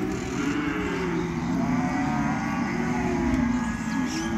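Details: Calves in a rural field giving drawn-out low moos that overlap and waver, set against a constant motor-like drone.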